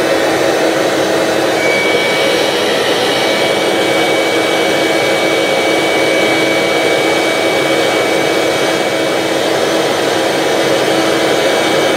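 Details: Steady loud roar of a running vacuum cleaner with a thin high whine, no animal voice heard.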